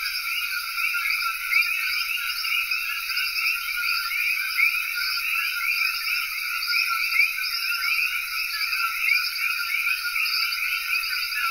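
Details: A dense night chorus of common coqui frogs in Cayey, Puerto Rico: countless high chirping calls overlapping into a steady wall of sound.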